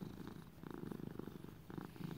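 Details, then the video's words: Male pet cat, raised as a lap cat, purring indoors: a steady low rumbling purr of rapid soft pulses, swelling and easing in bursts, with no other clear sounds. "Little buddy purring"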